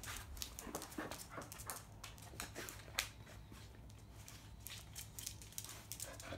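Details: Steady fast panting from Bisuke, a field-type Labrador Retriever, recorded at a mating session; short breathy bursts repeat evenly over a constant low hum.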